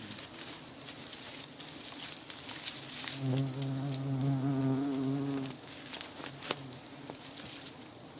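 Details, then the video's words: Giant honey bees during a honey harvest: a low, steady droning buzz swells for about two seconds midway, set against people talking nearby and rustling, clattering noise throughout. "ผึ้งหลวง(เผิ้งใหย่) การตีผึ้งหลวง"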